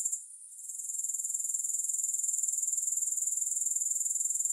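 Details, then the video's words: Grasshopper stridulating: a steady, very high-pitched pulsing buzz. It starts fainter and uneven for the first second, then settles into rapid, even pulses. No music or other sounds. "Grass Hopper Sounds"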